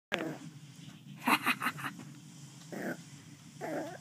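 A West Highland White Terrier puppy growls in play, a low continuous rumble broken by brief yappy bursts.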